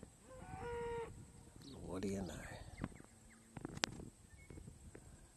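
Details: A bull stands alone on a hillock, mooing into the wind and trading calls with distant cattle. A sustained, lowing moo lasts about a second near the start, then rustling, wind and scattered knocks and clicks follow.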